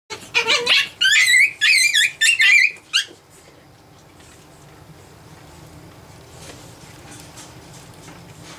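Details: Japanese Chin puppies, nine weeks old, at play indoors: a burst of high, squeaky squeals with wavering pitch, several in quick succession over three seconds, then near silence with faint room hum.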